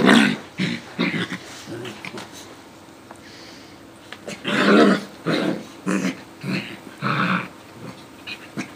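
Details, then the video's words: A Coton de Tulear and a Yorkie Lowchen mix playing together: scattered growls and snarls, a quieter stretch in the middle, then a run of louder rough growling bursts near the end. "Dogs Playing"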